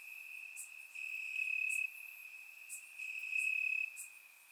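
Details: Night chorus of crickets in grass during a warm Bulgarian summer night, captured in surround sound; a continuous shrill trill that pulses louder and softer, overlaid by short sharp insect chirps roughly once per second.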